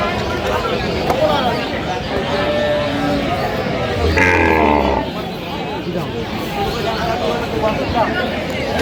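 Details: Cow with calf at Aftabganj haat livestock market, Dinajpur, Bangladesh, on 15 November 2025: one deep, low moo lasting under a second near the middle, half-buried in dense crowd chatter, bargaining voices and passing vehicle noise.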